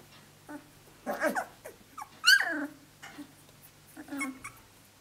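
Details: Seventeen-day-old Australian Shepherd pups, a litter out of Dazzle sired by Naishe, now walking around and playing together indoors; short whimpers and squeaky yelps, one bright rising-falling squeal near the middle, with soft grumbling sounds between.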